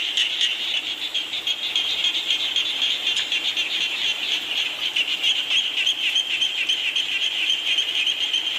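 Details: Frog chorus heard in rainy weather, played to help relaxation and sleep; steady high-pitched trilling with dense quick pulses from many calling frogs, no other clear sounds.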